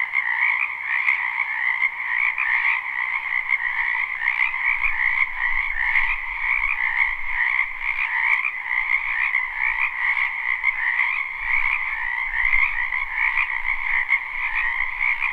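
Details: Wetland frogs croaking in spring, recorded live with no looping; a thick continuous trilling chorus on two bands, plus faint low rumbling in the background midway through.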